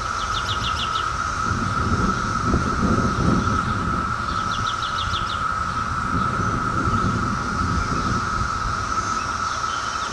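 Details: Brood X periodical cicadas from the 2004 emergence, heard close up: a steady, unbroken droning hum holds one pitch throughout. Short, quick bird trills come in now and then above it, with low background rumble.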